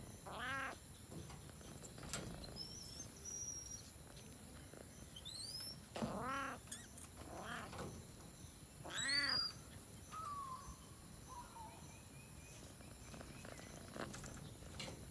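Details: Jungle cat (Felis chaus) in a national park in Sri Lanka giving loud, harmonic meowing calls, some rising then falling, repeated every few seconds, with faint high bird whistles and a steady insect hum behind.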